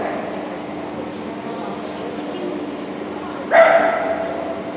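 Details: Shetland Sheepdog competing in Obedience-1 at the Saint Petersburg Cup on 11 February 2018 gives a single sharp, echoing bark near the end after a stretch of murmuring hall noise and low hum.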